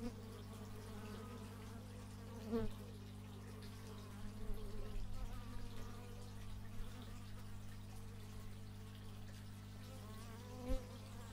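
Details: Bees in flight recorded with an x/y stereo mic, several brief buzzing passes, one sharp close approach early on and another near the end, with a continuous low hum behind.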